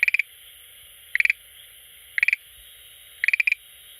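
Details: Schlegel's green tree frog calling at an aquarium tank it visits every day; short bursts of rapid clicking pulses, about four per burst, repeated roughly every second, over a steady high hiss.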